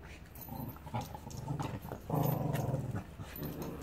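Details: Play growls from two dogs, a Staffordshire Bull Terrier and a Border Terrier puppy, learning to socialise in Salford; low rumbling growls build into a sustained, louder growl in the second half, in an indoor room.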